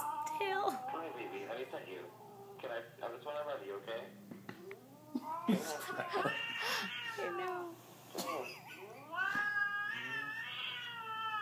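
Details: A Siamese cat, given catnip, reacts to a purring cat video with loud, drawn-out meows that rise and fall while a person talks.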